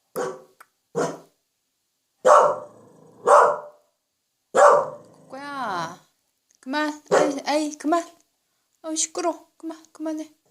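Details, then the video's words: Family Welsh Corgi barking with extra courage because its household is nearby, during an attempt to train softer barking: several sharp barks early on, followed by a woman's voice talking to the dog. "웰시코기(Welsh corgi) 코코야 조금만 작게 짖어봐.."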